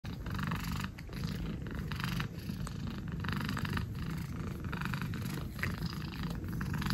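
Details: Orange domestic cat licking the air: a steady low rumbling purr runs throughout, overlaid with repeated soft wet smacking and licking clicks about once a second.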